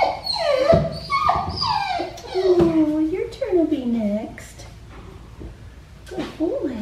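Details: Black tri male puppy, neutered, complaining during a bath at Fifteen Acre Farms: sliding downward whines that sink lower toward the middle, then fade into quiet before one last short cry.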